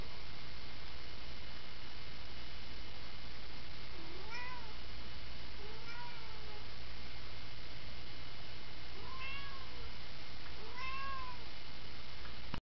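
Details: Anxious-sounding house cat, called worried, letting out four plaintive arched meows at irregular intervals of about two to five seconds, the last ones louder and longer, beneath a persistent low electrical-like hum.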